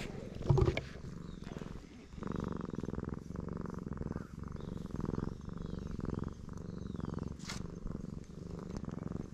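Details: Stray black cat happily purring at high volume under stroking, filmed with a GoPro HERO8; a loud thump and rustle open the recording, then a steady deep purr cycles with each breath, with one brief scratchy rustle later.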